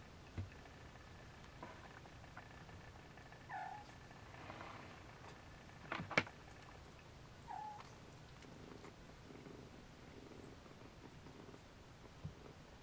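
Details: Siamese Snowshoe kittens nursing indoors: a soft, steady low purr runs throughout, broken by a few brief, faint tonal squeaks and a sharp click near the middle.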